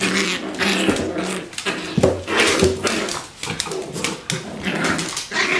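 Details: Bichon Frisé puppies, nine weeks old, from one litter, indoors: low rough growls and short whiny yelps overlapping in playful bursts, with scuffling and clattering noises throughout.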